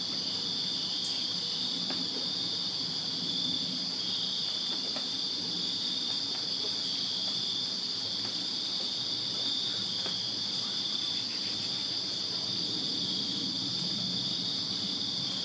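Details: Crickets chirping on a summer night in a backyard in Virginia: a dense, steady high-pitched trilling chorus in two bright bands, with faint low background rumble and a few soft ticks.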